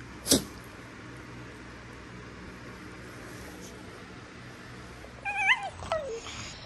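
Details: Prisca the Basenji, a female, playing tough with little wild-dog-style squeals meant for show: a sharp click at the start, then near the end a wavering, falling squeal and a brief yelp over quiet room hum.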